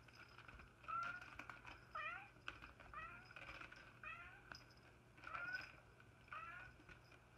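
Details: Domestic cat or kitten giving a run of short, high, rising meows, about six of them spaced roughly a second apart, each with a bright harmonic edge, in a quiet indoor room with a faint steady hum.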